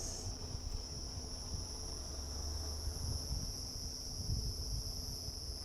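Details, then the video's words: Cicadas calling again beside a freshly burnt area at Rietspruit Game Reserve, Lowveld, South Africa, at sunset on 16 October 2024. They make a continuous, even, high-pitched shrill drone with two steady tones, over low rumbling wind. "You can hear the cicadas. They are back."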